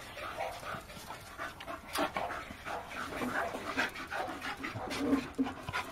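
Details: A male Bull Terrier pants in quick, breathy bursts, with a brief soft whimper near the end.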